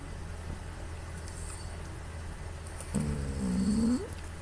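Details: Female pet cat Puu snores loudly in her sleep, compared to an old man's snoring, recorded by smartphone. After quiet breathing comes one rough, buzzy, low snore lasting about a second, ending in a slight upward squeak.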